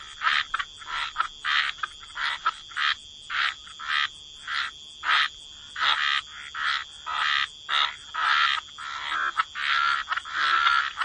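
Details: Frogs croaking at the waterside in wetlands, short rasping croaks repeated about every half second, several callers overlapping, with a steady high whine running throughout.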